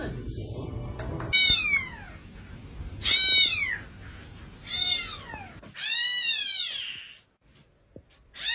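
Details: Domestic cat, a male described as not happy, giving four loud arched meows, each rising then falling, spaced about one and a half seconds apart, over a low rumbling background that fades out near the end.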